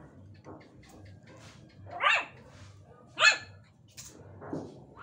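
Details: Pet Chihuahuas playing indoors at home; a few sharp, high yappy barks about a second apart, with softer whines between them and a low steady hum underneath.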